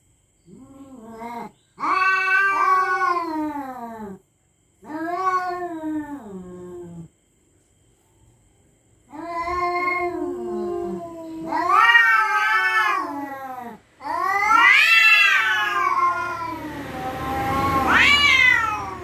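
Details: Cats facing off at night with eerie, menacing cries: repeated harsh yowls, each a few seconds long, swelling and falling in pitch. The later cries grow louder and rougher, ending in a strained, noisy screech.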